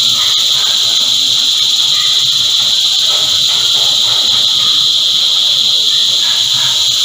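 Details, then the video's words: An unbroken, piercing high buzz from a chorus of cicadas fills the whole stretch, a flat wall of insect sound with faint murmurs beneath. "Energizing Cicada Choir"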